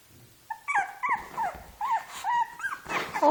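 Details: Shih Tzu puppies at play, a six-month-old with a two-month-old: high whimpering whines that rise and dip, about six short cries in three seconds, with a low grumble before them.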